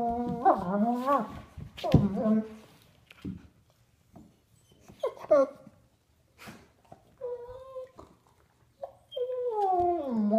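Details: Two sable German Shepherds playing indoors, adult Duke aged three and puppy Havok at nine weeks; scattered whining yelps and short squeaky cries with gaps between, ending in a longer sliding whine, with some human voices.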